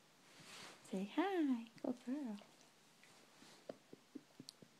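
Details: Waking-up noises from Rosie the dog indoors: two wobbling, yodel-like whines that bend up and down in quick succession, then a few soft clicks.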